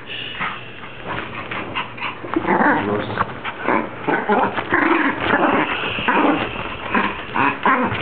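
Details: Dog making a long run of throaty, warbling whines and grumbles likened to a Star Wars character or a baby, voiced sounds pulsing and swelling continuously without clear pauses, loud and close.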